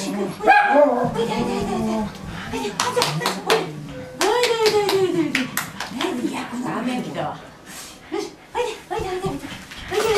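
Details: Medium poodle puppies from Chaser's litter, recorded October 22, 2013, a little scared in a new place, give high, wavering whines and short yelps that rise and fall in pitch, repeated in bursts, with human voices talking throughout.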